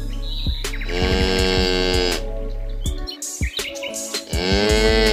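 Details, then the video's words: Farm cow giving two moos, one long and one starting at the end, partly mixed with background music, sharp percussive clicks and a droning tone. "wild animal sound_cow"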